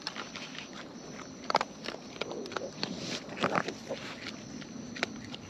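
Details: Wild raccoons filmed close up while eating: sharp, irregular clicks and crunches of chewing scattered through the clip, a few louder snaps, over a steady hiss of crickets and night ambience.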